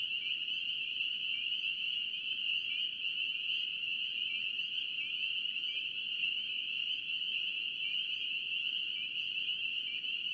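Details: Spring peepers in North Carolina form a steady, shrill chorus: overlapping high peeps fuse into a continuous ringing tone with slight wavering, lasting the whole stretch over faint low background hiss.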